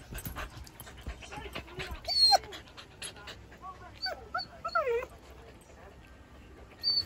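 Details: Siberian Husky puppy playing indoors while a shih tzu chases it and it is coaxed to jump onto a bed; short high whimpers and yelps with curving, descending pitch come in bursts, over soft scuffling and rustling.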